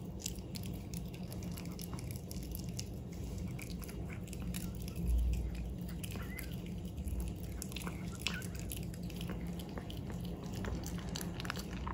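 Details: Steady crunching and gnawing of a hard chew treat in a small indoor room, with dense low rumbling and scattered clicks and no calls or vocal sounds.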